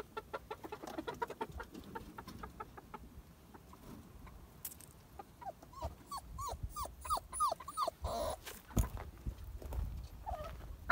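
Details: One-month-old German Shepherd puppy in San Dionisio Ocotepec, Oaxaca, 2022. A quick run of short, arched, whining yelps fills the middle seconds. Earlier come rhythmic tapping sounds and low background clatter.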